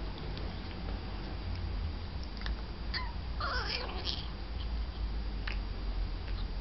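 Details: A cat gives a single wavering meow of about one second, midway through, over a constant low rumble with scattered clicks and knocks.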